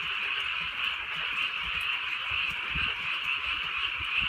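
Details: Frogs croaking together on a drizzly rural night, a dense, steady chorus of high, rattling croaks running without pause, with soft low patters of rain underneath.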